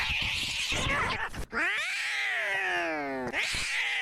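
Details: Maxwell the cat screaming: a harsh, noisy opening yowl, then a long harmonic wail from about 1.5 seconds that starts high and slides steadily downward for nearly two seconds, ending in another rough burst.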